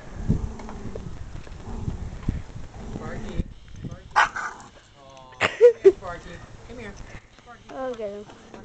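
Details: Emily, a female husky/wolf mix and the runt of her litter, known for 'talking': after a person speaks, she gives a run of rising and falling whining, yowling tones with strong harmonics, several in quick succession.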